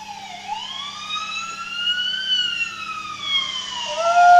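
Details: A wolfdog, set off by a passing ambulance siren, gives a long, smooth howl that rises slowly, holds, then sags back down, later turning into a monkey-like noise.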